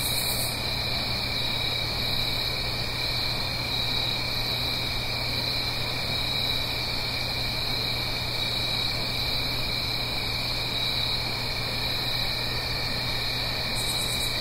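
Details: Crickets chorus through an autumn night in the Blue Ridge Mountains above a gentle stream, recorded in stereo: an even, piercing, pulsing trill with a lower companion tone, a steady water hiss, and brief bright crackles at start and end.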